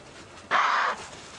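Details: A harsh, breathy impala snort, like an alarm call, during a sunset safari drive on 4 June 2015; a male in charge of a herd, likely shouting out of frustration because the females won't mate.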